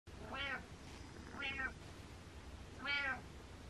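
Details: A cat named Butters meows three times indoors, each meow a short harmonic-rich cry rising then falling, spaced about a second apart over a steady low hum.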